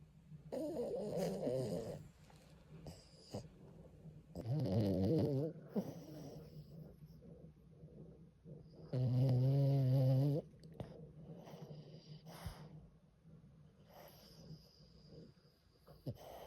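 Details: Jjanga, a French Bulldog deep in sleep, gives loud low rumbling snores in bursts roughly every four seconds, one long steady drone, with soft snuffling breaths between.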